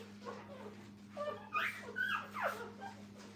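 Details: Puppies beside their mother in a training kennel give a few thin whines, two or three sharply rising and falling squeals in the second half over a constant low hum.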